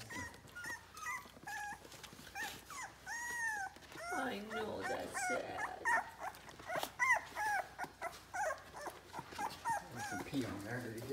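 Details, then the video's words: Three-week-old Soft Coated Irish Wheaten Terrier puppies indoors, trying to nurse from their mother while she stands and then leaves; high thin squeaky whines and whimpers, some rising then falling, repeated through the clip, with a woman talking at times. "Puppies: trying to nurse mom dog while she is standing - hey! It’s not easy!!"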